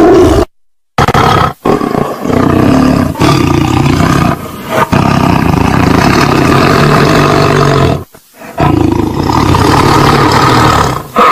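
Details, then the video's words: A tiger gives a run of heavy, throaty roars and snarls, broken by brief silent gaps, with a rough, gravelly tone throughout. "Suara Harimau"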